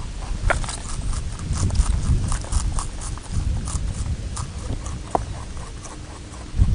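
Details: Rabbit chewing on Okunoshima, known as Rabbit Island, an island in the Seto Inland Sea off Takehara City, Hiroshima Prefecture, Japan, home to over 900 rabbits; rapid crisp crunching clicks repeat several times a second over low rumbling background noise.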